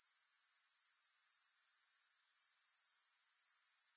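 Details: Unbroken, high-pitched grasshopper trill with fast, even pulsing that holds steady for the whole stretch. No music.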